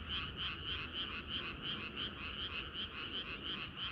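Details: Frog chorus on a hot summer night, a close frog croaking in quick regular bursts about three a second, each a bright buzzy pulse, with a background of other frogs.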